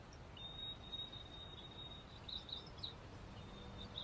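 Night insects keep up a steady, high, thin buzzing trill over a low background rumble.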